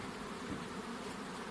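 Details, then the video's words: Short burst of honey bee buzzing near a hive box as the queen is said to come out, a steady, rough low hum with slight pulsing. "Honey Bees Sounds | Bees Sounds | Bee Buzzing Sound Effect"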